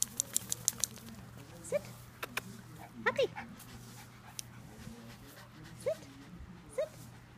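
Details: Rescue dog, possibly an Italian Greyhound/Whippet mix, male, about 2.5 years old and 12 lbs, on grass for the first time after rescue from a Sacramento shelter; short rising whimpers and yelps at irregular intervals, with clicks and a person talking.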